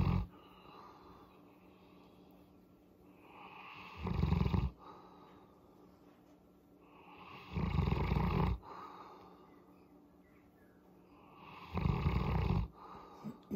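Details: Molly the Boerboel enjoying a head massage, producing a deep throaty purring rumble in one-second bursts roughly every four seconds, with soft breathing in the gaps.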